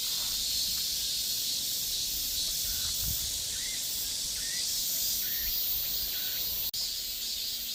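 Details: Korean cicadas droning in a continuous high, hissing buzz with a subtle pulse, while a few short rising chirps sound in the background and a sharp click breaks in near the end.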